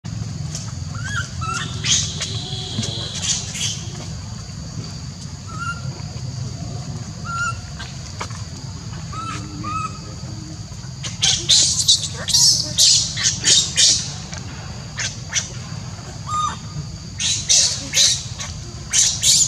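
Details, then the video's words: Baby monkey in Siem Reap Angkor Park, left alone by its mother and crying for her: shrill, harsh high-pitched screams in dense clustered bursts, loudest in the second half, over faint whistled bird calls and a steady low hum. "Little Baby Leo was Asking For Mom While Libby Leave Him A lone Screaming and Crying"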